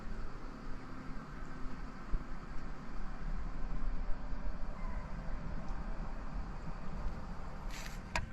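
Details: A steady low rumble of vehicle traffic, with a brief clatter near the end and no animal voices.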